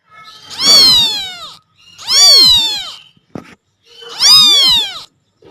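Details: A kitten crying loudly for its mother cat: three long, drawn-out meows, each rising then falling, separated by short pauses, with a faint click between the second and third.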